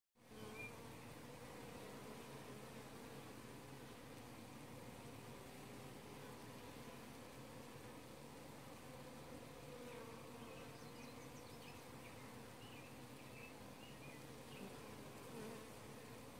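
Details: Honey bee colony heard at the bottom entrance of a hive in an apiary at 9:45 pm, late evening: a steady, dense low hum with layered tones, unbroken throughout, with faint other night sounds in the background.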